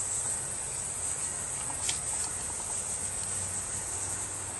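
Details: A strange-looking cricket with a bright green belly gives a constant high-pitched shrill buzz with no pauses, over a low background rumble and one faint click.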